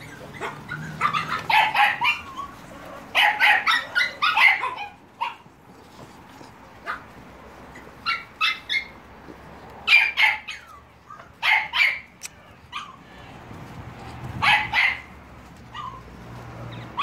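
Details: Staffordshire Bull Terrier puppies, 30.07.2017, yap in irregular clusters of high, thin barks and yelps, several rapid ones bunched together, then sparser single yips, over a low background hum.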